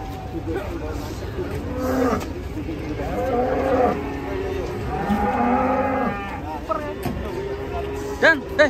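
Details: Cattle unloaded from a truck, described as angry, moo several times in short, strained bursts. Men talk and call out over the animals throughout, with a sharp clatter near the end.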